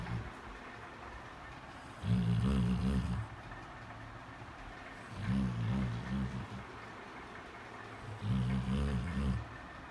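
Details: A black Labrador Retriever, asleep and apparently having a nightmare, gives low, muffled, pulsing moans in three short bursts.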